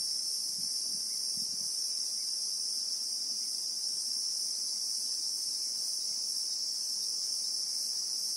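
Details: In the South African bushveld, Christmas beetles keep up a level, piercing high-pitched drone, recorded in real time, steady from start to finish with a few muffled low bumps early on.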